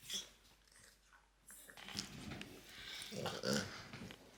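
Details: Pet French Bulldog Loki gives strange noises in a small room, starting with a short snort, then rough throaty growling breaths and grumbling snuffles that build toward the end.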